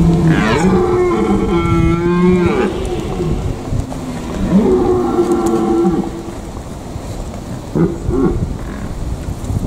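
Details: Red deer stags roaring during the rut in the Eifel, Germany: a long, rich, groaning bellow of over two seconds, a second shorter roar, then a brief grunt, with wind rushing throughout.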